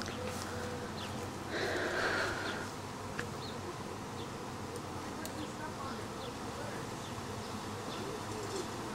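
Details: Swarming honey bees, gathering again a week after an earlier swarm, give a steady dense buzzing hum, broken briefly near the middle by a louder burst, with faint chirps of small birds over it.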